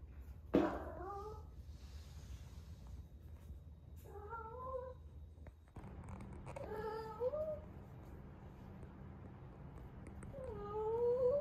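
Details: A female rescue cat in Osaka, Japan, eleven months old and in her first heat, utters several drawn meows after a sharp knock, each sliding up and then down, spaced a couple of seconds apart, with a low hum underneath.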